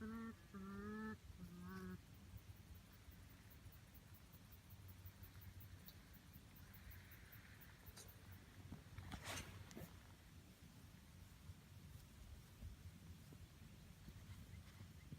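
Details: Big North American porcupine in North Texas, humming while bopping around: three short nasal, wavering harmonic hums with a trumpet-like quality in the first two seconds, then quiet outdoor rustling and a brief clicking burst.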